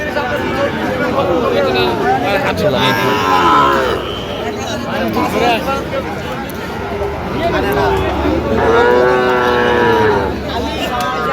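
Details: At a busy livestock market on 31 January 2026, Sahiwal bull calves for a Narsingdi farmer; two moos with rich harmonics, one early and a louder, longer one near the end, over constant bargaining voices.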